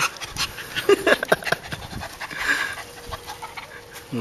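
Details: Eve, a female dog of unknown breed found as a stray in a yard in Guam, meets a coconut crab there. Rapid breathy panting bursts, with a woman's voice asking what it is and telling her not to eat it.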